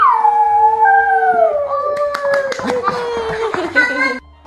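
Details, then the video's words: Poodle singing along to music indoors: a long wavering howl that starts high, slides down and holds a steady tone for about four seconds, over music with sharp clicks and taps. "노래하는 강아지"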